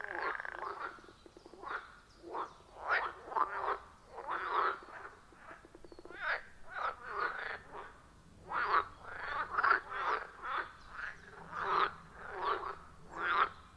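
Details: Frogs at a wild forest pond, recorded with an iPhone 14 Pro and Shure MV88+: short, punchy croaks in irregular bursts, some doubled, rising and falling in loudness against a quiet background, with no music or talking.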